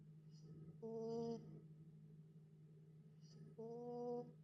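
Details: Dog sleeping soundly after a trip to the dog park, snoring indoors: two long, even, humming breaths with a faint airy hiss, about three seconds apart, over a steady low background hum.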